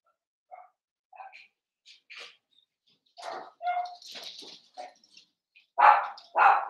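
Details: Litter of five blenheim Cavalier King Charles Spaniel puppies in their home pen: scattered soft squeaks, whines and small yips build up, ending in two loud, shrill puppy barks in quick succession.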